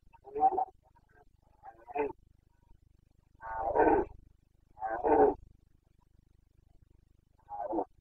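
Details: Boncănit of a Carpathian red deer stag, Bucovina mountains, rut on 29 September 2022: five rough, groaning roars at uneven gaps, two longer and louder in the middle, over a quiet, faintly rumbling background.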